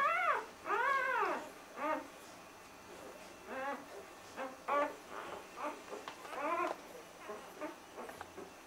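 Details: Two-day-old puppies of a litter whimpering and squealing, a run of high, arched, rising-then-falling cries in quick bursts, loudest at the start, with shorter yelps trailing off toward the end.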